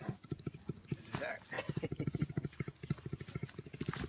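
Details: A brown bear purrs in a deep, throbbing run of low pulses, about three each second, while playing with its carer.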